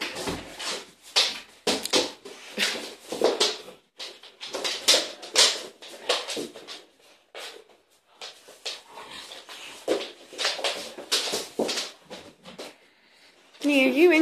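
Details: Neapolitan Mastiff family, mother Cleo, father Neo and 11-month-old daughter Boo, playing boisterously in a living room. Short rough bursts come in irregular clusters throughout, with quieter gaps, and a high wavering whine closes the passage.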